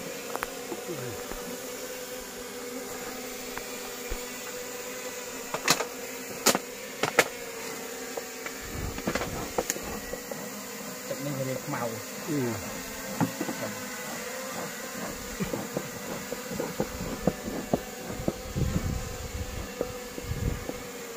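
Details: Wild honey bees buzz during a natural honey harvest in a plantation, low droning hum with rising and falling whines of individual bees flying past, plus scattered sharp clicks and knocks.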